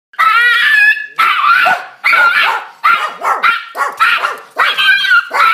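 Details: Miniature Pinscher barking while guarding the neighbourhood: loud, sharp, high barks in quick bursts, some drawn out into whiny yelps, about eight barks over five seconds with short gaps.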